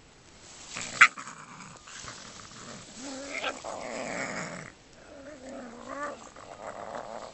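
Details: Raccoon dogs quarrelling: rough, harsh growling and snarling with wavering whining tones, a sharp click near the start, sounds rising and falling in irregular bursts.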